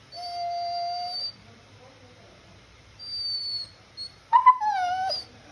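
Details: Beagle named Mowgli wanting to play: a long, steady high whine, a pause, a shorter thin whine, then a louder wavering whimper that rises and falls before cutting off.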